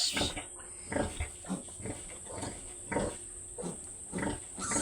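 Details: Domestic sows, two mother pigs on a farm, giving short low grunts repeated roughly every second, each a brief broadband burst, with a person speaking at times and a steady high hiss behind.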